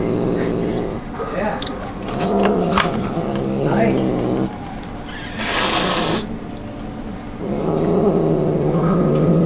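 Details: Domestic cat growling while eating and refusing to share its food: low, rough, droning growls in two long stretches separated by a pause, with a brief rustling burst and human voices in the background.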